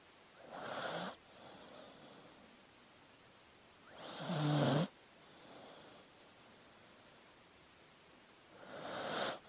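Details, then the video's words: Sleeping dog snoring: three raspy breaths, the loudest near the middle carrying a low, rattling tonal snore, with quieter breaths at the start and end over a soft, steady background hiss. "Sleeping Dog Sounds"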